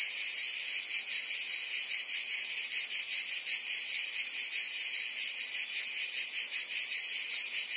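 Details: Cicadas singing in summer in Provence, France: a dense, continuous shrill buzzing chorus, high-pitched and steady, with a faint rapid pulsing throughout and no other clear sounds.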